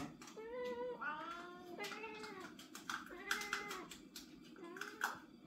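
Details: Young house cats with developing individual voices meow in turn: several wavering, falling meows of varied length, some cut by clicks and rustling, soft music faintly underneath.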